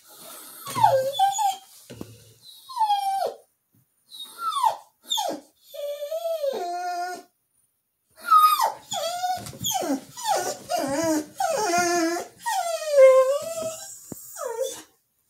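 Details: Female Border Collie's unexplained singing: a long series of quick, yodeling whines and yips, each swooping down then up, in bursts with short pauses, growing busier toward the end.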